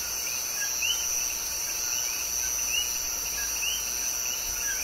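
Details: Night chorus of male common coquí frogs from Puerto Rico, short rising chirps overlapping from many callers above a constant shrill background drone.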